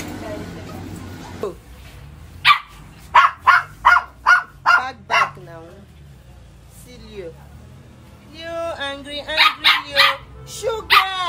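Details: Several Lhasa Apso dogs fight, three at a time, giving rapid, sharp, high yapping barks in quick bursts.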